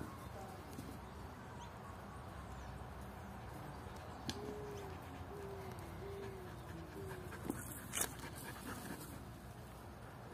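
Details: Luna, an energetic 11-month-old Belgian Shepherd puppy, playing fetch with a boot: a soft series of thin, tonal whines rising and falling for several seconds, quiet under steady outdoor background noise, with a few sharp clicks.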